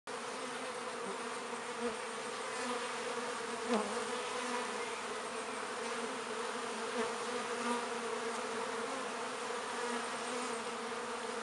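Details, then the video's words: Honey bees very active at a hive entrance in a north London apiary on a midsummer day, bringing in pollen and nectar; a dense, steady droning hum of many wings with occasional louder passes of single bees. "LONDON BEE HIVE busy at the hive entrance in mid summer"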